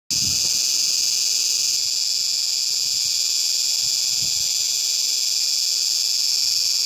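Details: A dog-day cicada at Khenifra, Morocco, sings a loud, dense, shrill, high-pitched drone that runs unbroken and even in strength, with only faint low rumbles beneath it.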